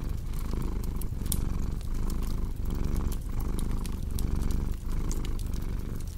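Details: Rumbling cat purr beating in regular inhale-exhale surges about once every 0.7 seconds, loud and close, with crackling fire pops layered on top.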